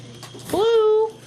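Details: A German Shepherd puppy at play, 5 February 2012, gives a single whine that swoops upward, then holds a steady, clear pitch for about half a second before stopping abruptly. Faint human voice just beforehand.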